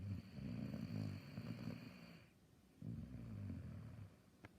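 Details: Sleeping Saluki giving a long, low rumbling snore with a soft whistling overtone, a pause of quiet breathing, then a second rasping snore; nothing else audible nearby.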